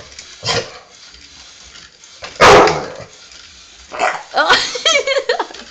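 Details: Dog barking at a teddy bear, recorded on a phone: a short bark, a louder harsh bark, then a quick run of yelping barks ending in a rising, whiny note.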